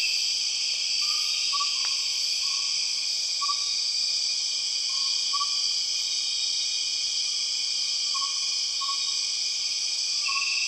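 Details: Empress cicada calling in Borneo jungle: a constant high, ringing insect whine fills the air, with a loose string of short tonal notes and a single sharp click.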